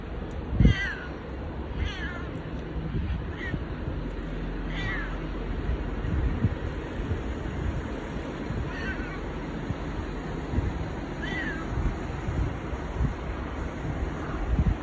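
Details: Affection-seeking domestic cat Bu-chan, the boss cat, gives a series of short husky meows scattered through the stretch, some faint, over a constant low rumble and occasional clicks.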